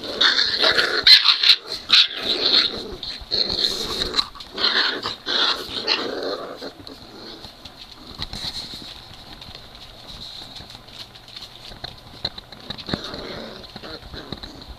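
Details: Three-week-old Great Dane puppies from NormaJean's litter at play, giving rough, scratchy growls and grunts in irregular bursts through the first six seconds, then quieter shuffling and scattered soft noises over a steady high hiss.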